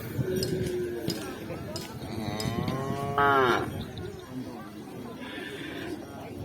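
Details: Cattle at a Kerapan Sapi bull race at Asemanis, with one loud harmonic moo sliding down near three seconds over crowd noise and chatter.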